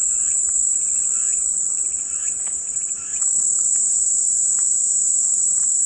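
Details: Shrill, sustained cicada buzzing fills the whole stretch, a steady high-pitched whine with a slight dip in loudness just past the middle and soft scattered clicks below.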